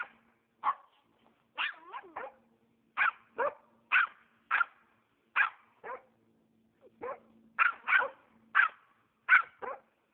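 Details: Norrbottenspets hunting squirrels on private property in Oregon, giving sharp high-pitched barks in irregular bursts, about eighteen in ten seconds, some doubled, with a faint steady low hum underneath.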